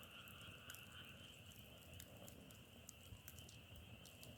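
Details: Brief stretch of a frog chorus: a continuous high buzzing band of many distant callers, overlaid by occasional sharp crackles and a heavy low rumble underneath.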